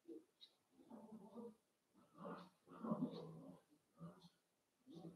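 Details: Playing Cavalier King Charles Spaniel puppies raised indoors in a home puppy pen give a run of low grumbling and whimpering bursts, five or six short pulses over five seconds, in a small room.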